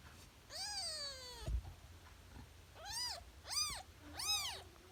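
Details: Three-day-old kitten crying: one long mew sliding slowly downward, a brief pause, then three quick arched squeaks in rapid succession, high and piercing, over faint low background noise.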